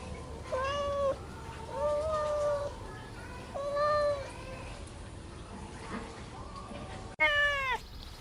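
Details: Kittens on green grass mew softly and steadily, level-pitched cries each lasting about half a second to a second, three in a row, then a sharper, higher meow at the end over a hissy background.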